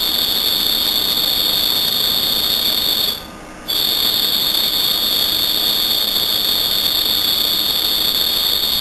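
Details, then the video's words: Cricket chirping loudly at night, possibly its calling song: a steady, high, shrill trill held continuously, broken by one short pause of under a second, over a hissing background. "Cricket chirping"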